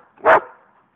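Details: A single short, rounded bay from a pet coonhound sounding off at the neighbours' dogs. The burst lasts about a fifth of a second and trails into a faint tail, with no other sounds.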